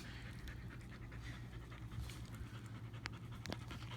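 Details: Two dogs, a stray Pitbull and a household dog, being affectionate together; quick breathy panting pulses repeat through the clip over a steady low hum, with a few sharper breathy bursts near the end.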